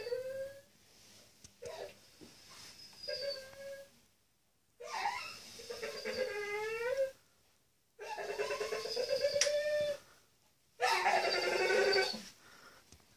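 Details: In the dark, a male Staffordshire Bull Terrier who thought he was left alone cries in long, drawn-out whines that rise and fall, a sign of anxiety.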